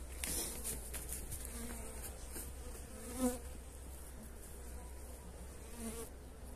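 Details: Honey bees fed energy cakes on 29 January, pleasant weather; soft low buzzing drones on and off over a steady hum, with a brief knock near the middle and faint rustling.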